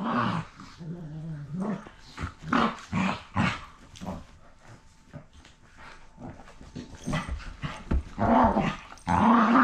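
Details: A pair of rescue dogs wrestling roughly. Low, throaty growls come in uneven bursts. A quieter stretch in the middle gives way to louder, higher snarls near the end.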